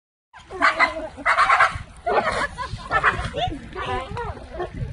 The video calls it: Pitbull makes funny noises like a duck